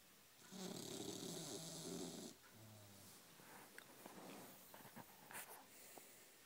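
An English Bulldog snores with a loud, rasping rumble, followed by softer snuffling breaths.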